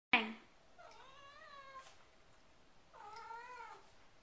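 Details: Domestic cat giving two drawn-out, wavering meows about two seconds apart, each with a slight rise and fall, after a sharp click at the start; the room is otherwise quiet.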